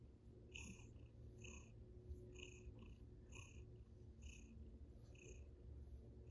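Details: A playful Russian Blue cat visiting its owner's table indoors gives a continuous deep purr, steady and even, overlaid by light clicking bursts recurring roughly once per second.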